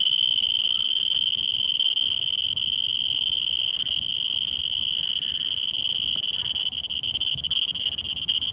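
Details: Cricket calling at Singapore Botanic Gardens: a steady, unbroken high-pitched trill held without pause throughout, over faint low background rumble.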